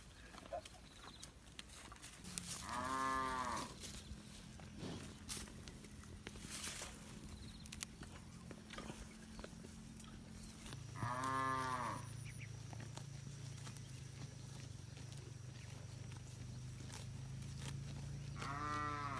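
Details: Village cattle wandering free in a wide green rice field, eating grass, with cows answering one another: three loud drawn-out moos about eight seconds apart over a low droning lowing and rustling of the herd.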